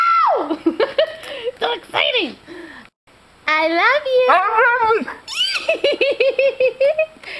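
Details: A Siberian husky gives sliding, yowling howls that rise and fall like speech, trading phrases with its owner, who says "I love you" and hears the dog seem to say it back.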